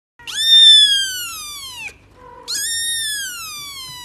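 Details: Cat meowing twice: a long, loud, high-pitched meow lasting about a second and a half that slowly falls in pitch, a short pause, then a second drawn-out meow, steady and slightly falling.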